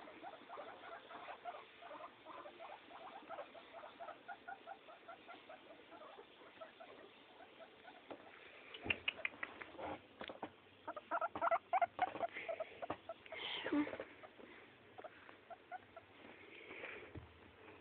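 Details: Two pet guinea pigs, a neutered male playing with a female; quiet rapid series of short chirping notes, then louder scrabbling bursts midway and a person saying "come on" afterwards.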